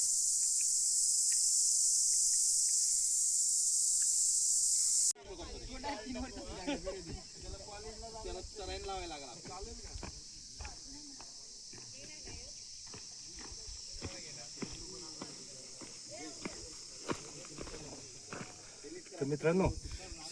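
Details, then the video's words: Crickets in the forest at 5:53 in the morning during a trek to Moroshi's Bhairavgad, Maharashtra: a dense, steady, high-pitched buzzing chorus for five seconds, then a man talks over a faint continuing insect hum with footsteps. "सध्या जंगलामध्ये तुम्ही ऐकू शकता रातकिड्यांचा आवाज किती आहे."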